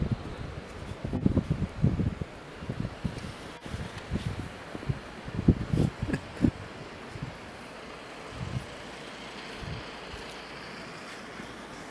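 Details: Outdoors in snow, wind buffets the microphone while bursts of crunching and rustling come and go, with no barking or other animal calls.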